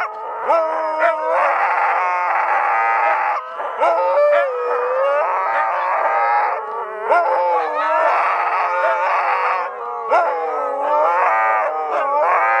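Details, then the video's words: Night concert of a pack of Siberian Huskies howling in unison: sustained, sliding howls with frequent upward swoops, voices joining and dropping out, brief dips between bursts of the chorus. "ночной концерт"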